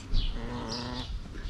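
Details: Calico cat making strange, funny noises while being petted indoors: a drawn-out, tonal, slightly wavering voiced call lasting about a second, then fading, with faint high chirps and soft background music.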